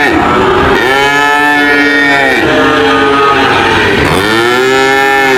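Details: A cow lows twice in long, arched moos that rise and sink in pitch, the second starting after about four seconds, over a steady background roar.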